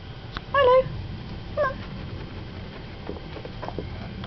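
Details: A Devon Rex cat in kitten fight mode gives a high, wavering mew, followed a second later by a shorter, softer one.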